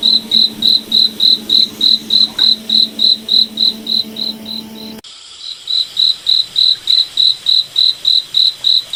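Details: Cricket at night in a moonlit forest, chirping in steady high-pitched pulses about three and a half times per second; a low droning hum sits beneath for the first five seconds, then drops out abruptly.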